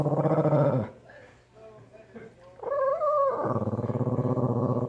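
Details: A small Shih Tzu in Sun City Summerlin, Las Vegas, Nevada, watching over a green belt and facing a coyote, gives gruff, rapidly pulsing growl-barks, then a short high whine, then more throaty, grumbling barking in quick pulses.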